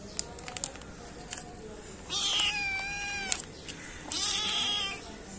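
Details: Hungry small black kitten and cat meowing: two drawn-out, harmonic meows about two seconds apart, the first falling in pitch, with light clicks and background noise between calls.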